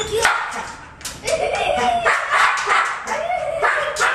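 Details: Labrador Retriever barking while climbing a ladder to get a ball, a football lover; short excited barks and yips come in irregular bursts, about three per second at times, with human speech mixed in.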